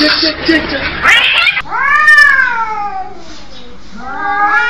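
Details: Fighting cats: a burst of hissing scuffle, then a long, loud, wavering yowl that slowly falls in pitch, followed by a second rising moan.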